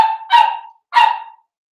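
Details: Cavalier King Charles Spaniels of the Blenheim colour, a mother and her five New Year puppies at play in a home pen; two loud, ringing barks about half a second apart, each trailing off quickly.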